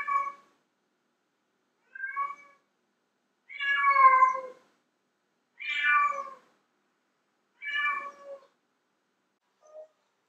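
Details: Loud meows from a female domestic cat, used to draw in males: six harmonic calls of varying length, the middle ones longest and strongest, the last a faint short mew, with silent gaps between.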